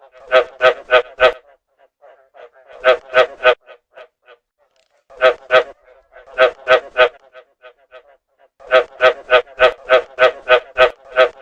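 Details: Field frogs croaking during rainy-season breeding; grouped bursts of loud, rasping pulsed notes, roughly four to nine per burst, separated by quiet pauses with faint softer croaks.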